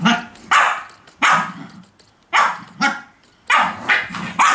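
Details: Shih Tzu dogs playing in a box, with short sharp yappy barks in quick bursts, some paired, separated by brief pauses, mixed with a little low growling.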